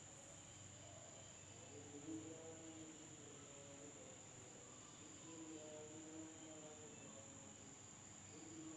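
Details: Insects calling at night in a village in Indonesia: a steady, unbroken high-pitched whine runs throughout, over a murmur of lower wavering tones and faint rural background.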